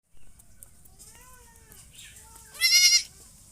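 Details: Goat bleating: faint, wavering harmonic calls through the first half, then one loud, strained, nasal bleat of about half a second near the end.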